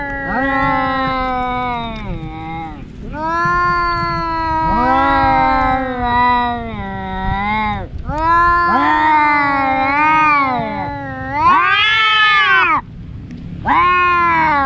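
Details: Fighting pet cats, two brothers that clash daily, trading a long run of moaning yowls, some overlapping, rising and falling in wavering arcs with short breaks. One higher, sharper wail stands out near the end.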